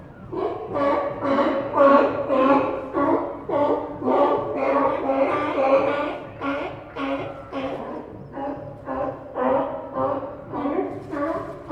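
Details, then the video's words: Deep, echoing barking from sea lions resting on the Santa Cruz docks: a steady train of harsh, harmonic barks about twice a second, many voices overlapping against a background of harbor atmosphere. "Sea Lions Sound Effect – Realistic Santa Cruz Dock Audio"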